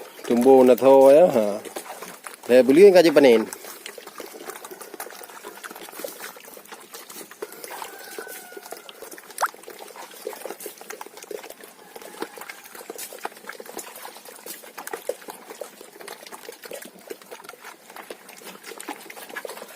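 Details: Farmed sheep raised for a three-month fattening cycle give two quavering, wavering bleats close together near the start, followed by a long stretch of low rustling and trickling background noise.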